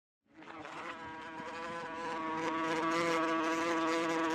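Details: Wasp flying close, giving an aggressive buzzing hum: the buzz starts after a brief silence and swells into a steady, slightly wavering drone that grows louder toward the end.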